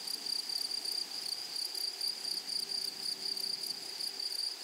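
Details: Grasshoppers calling in a flowering prairie meadow: steady shrill trill with clusters of very high, scratchy pulses in short rhythmic groups, plus a faint lower tone humming in the background.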